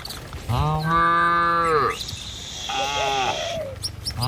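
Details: Cattle herd driven along a village road toward the pen, past green trees and wide rice fields: a loud, steady low moo of about a second and a half, then a shorter, higher call with a hiss behind it.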